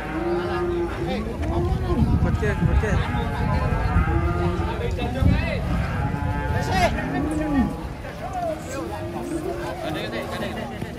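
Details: Several giant black banteng cattle, agitated while being unloaded from a truck, give deep, drawn-out moos with rising and falling bends. The moos repeat and overlap against steady engine rumble and bustling background noise.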